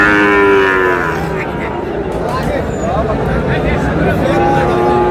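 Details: Sahiwal bull calves at a cattle market, bought by a farmer from Sherpur on 4 March 2026: a long, drawn-out harmonic moo opens and another returns near the end, over steady crowd chatter and market noise.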